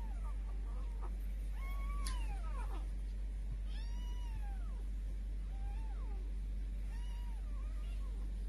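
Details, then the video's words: Grey Korat kitten giving a series of short, downward-bending meows, roughly one every second, over a steady low rumble. "Cute Korat Cat Meowing"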